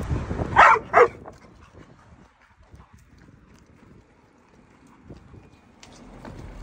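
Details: Pit Bull barking: two loud, short, rough barks in quick succession, then quieter rustling, scattered thumps and low background noise.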